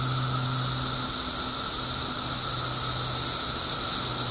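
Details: Periodical cicadas in a mass emergence of billions after 17 years underground in Illinois: an unbroken, steady droning chorus with a strong high hiss layered above it, constant in loudness throughout.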